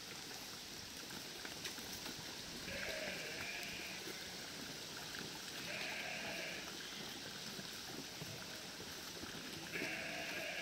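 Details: A flock of 1000 sheep herded by a border collie to cross a river narrows gives three drawn-out, nasal bleats spaced a few seconds apart, half buried under constant roaring water.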